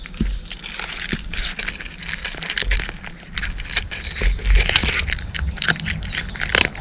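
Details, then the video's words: Cat munching dry food, dense crackling crunches over a low rumbling background, with occasional heavier thuds and sharp snaps. "【猫ASMR】カリカリッ！ カリカリッ！ Pleasant cat chewing noises!"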